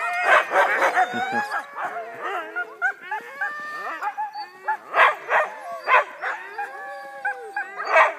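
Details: Huskies in Wardsboro, Vermont, at the Husky Works Mushing Company before a mushing run, several dogs howling together in rising and falling wavering tones, punctuated by sharp yelps at regular intervals.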